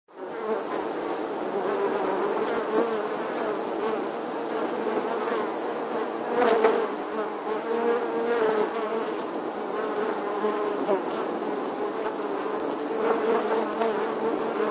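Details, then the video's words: Honey bees nesting in the stonework of an 11th-century English church wall, filmed in August 2020: a dense, steady buzzing hum from many bees, with faint tonal streaks weaving through the swarm noise. "Bee Hive, Bees Captivating Footage from an Old English Church Wall. Bee Sounds"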